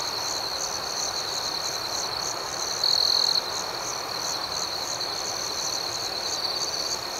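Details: Night chorus of crickets: a piercing, even, high-pitched trill that pulses rapidly, with one louder, closer chirp lasting about half a second partway through.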